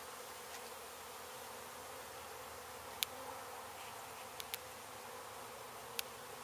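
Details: Disturbed honey bee colony being relocated from a demolished abandoned house in Mission, Texas, after construction crews hit the hive; a continuous low swarming drone with a few isolated sharp knocks.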